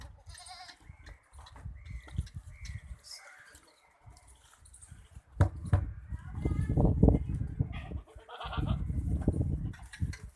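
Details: Goats at a goat farm in Ajmer, India, giving short harmonic bleats in the first few seconds, followed by loud low rumbling handling noise and men talking nearby.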